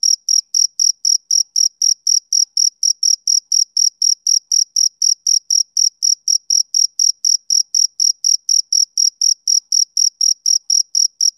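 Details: A summer-evening male cricket keeps up a rapid, regular chirping of thin, piercing pulses at about four a second, with silence behind it.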